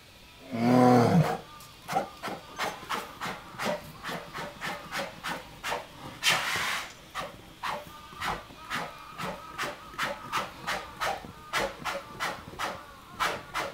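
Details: Male polar bear Denali at Maruyama Zoo, 5 March 2010, worked up over daughter Pirika and beloved mate Lala in neighbouring enclosures; one loud rumbling growl opens, followed by steady breathy puffs about twice a second.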